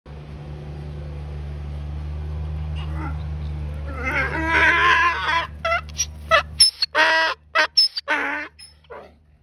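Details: Donkey braying: a harsh honking run of stacked harmonic tones, then a series of short, loud, alternating honks with gaps between them. A steady low hum fills the background before the bray.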